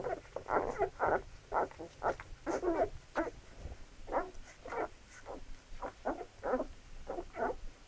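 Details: Labrador Retriever puppies at feeding, rapid choppy whimpers and squeals, about two per second, uneven in spacing and loudness.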